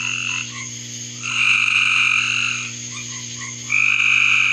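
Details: Frogs calling in a backyard: overlapping, sustained high trilling notes layered in a dense chorus, swelling and fading in long bursts, with a steady low hum underneath.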